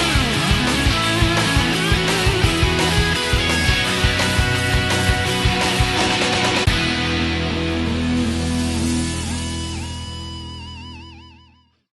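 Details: Heavy rock music with driving drums and distorted electric guitar, fading out at the end; no animal sounds.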